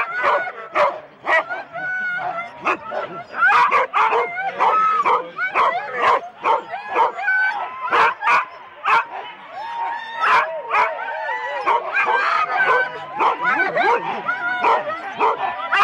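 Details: Excited Huskies from four-dog sled teams at the start in Rendlesham, January 2016, taped on analogue cassette: a long, unbroken clamour of sharp barks, yips and whines from many dogs at once.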